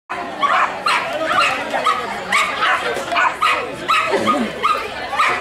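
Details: A Jack Russell Terrier at a muskrat racing event on a farm in Missouri barks sharply, with loud yapping barks roughly every half second and people talking in the background.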